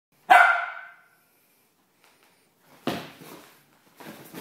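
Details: Six-month-old male Miniature Pinscher playing energetically at home: one sharp, loud bark near the start that fades quickly, followed by a quiet gap and then bursts of broadband rustling and scuffling noise from movement.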